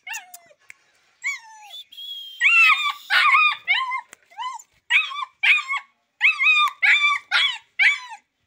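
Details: Sultan, a Rottweiler-Boxer mix puppy described as intelligent but very aggressive, whines at first, then breaks into a rapid run of high yelps that repeat roughly twice a second with downward-bending pitch.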